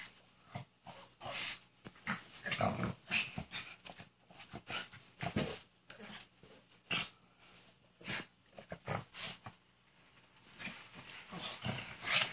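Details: Pug and Mini Aussie play fighting together on a new bed at home; soft snorting, wheezy breaths and short growly huffs come in quick irregular bursts, with rustling and scuffling between them.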